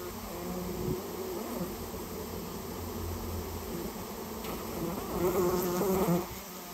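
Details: Colony of rare Japanese honey bees, nested in a storehouse and removed on request, filling the air with dense, wavering buzzing that intensifies toward the end before dropping away.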